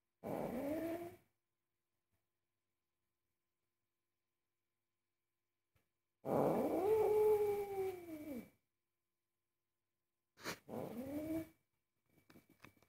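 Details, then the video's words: Very angry domestic cat protesting while food is being cooked: a short low moaning yowl, then a long drawn-out arched growl-yowl, then a brief double yowl, with silent gaps between and a faint steady hum. "Angry cat forbids me to cook"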